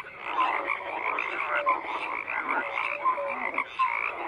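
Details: Dense frog chorus of overlapping croaks, continuous rasping trill with short clear tonal notes rising out of the din about every second.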